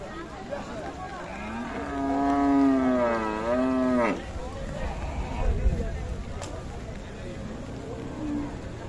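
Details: Cattle at a cow market in Dhaka, Bangladesh, on a day of rain: one long, deep, wavering moo of about three seconds that dips and then swells before breaking off, a faint lower call later, with murmuring voices and steady background noise.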